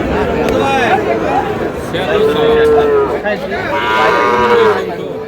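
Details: Small bull calves at a cattle market bought by a Narsingdi farmer: a few short moos rising and falling, amid loud crowd chatter and bargaining voices.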